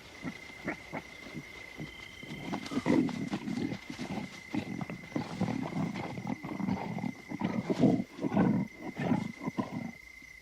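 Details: Lion at night in the African bush, giving a run of deep, rough, rumbling growls and grunts in irregular bursts that swell mid-clip, with a steady high whine running underneath throughout.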